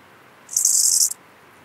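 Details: Eisentraut's bow-winged grasshopper (Chorthippus eisentrauti) in Muhrtal, Austria, on 9 October 2020, gives a brief, high, hissing buzz lasting about half a second.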